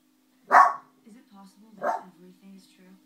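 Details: Indoor pet dog barking at wolves on television during New Moon: two sharp, short barks about 1.4 seconds apart, with quiet television voices and sounds murmuring between and after them.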